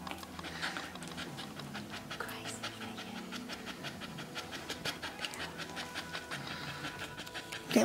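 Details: First-time red Staffordshire Bull Terrier bitch panting hard during labour in a whelping pen. Quick, regular breathy pants continue throughout, with a human voice murmuring over them and a louder noise at the very end.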